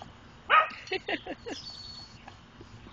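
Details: Doberman puppy playing with a chicken gives short, high, harmonic yipping barks: one loud yelp near the start, then a quick run of three to four lighter yips, over a soft steady background hiss.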